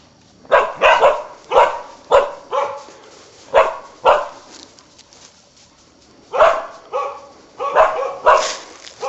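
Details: Karelian bear dog working a wild boar hunt, barking in two bouts of sharp, harsh barks separated by a quiet pause of nearly two seconds in the middle.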